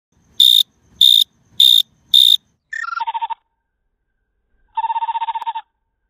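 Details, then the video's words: Cricket in a garden, filmed with iPhone 5s slow motion: four short, high, shrill chirps about half a second apart, then the chirping slowed into lower, stepped pulsing tones, a pause, and one longer low buzzing pulse train. "The noisy cricket"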